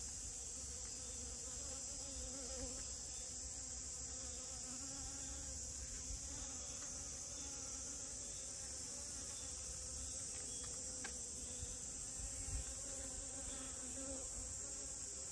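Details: Buzzing honey bee around rose moss blossoms: a droning hum that shifts in pitch as it moves, with an unbroken shrill insect chorus behind it.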